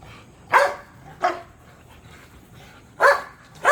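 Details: Pit bulls and a Belgian Malinois with a puppy playing in a large natural back yard at the end of the day; four short sharp barks, spaced irregularly, with quiet gaps between them.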